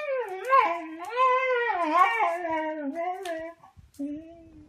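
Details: Beagle puppy howling during play with littermates; a long, wavering, tonal howl with rich harmonics rises and falls over about three and a half seconds, then a brief pause and a shorter, steadier howl.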